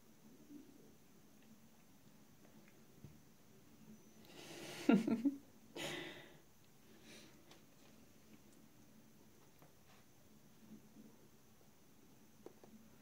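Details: British Shorthair kitten gives a couple of short, breathy hisses in a quiet room during a play fight between kittens.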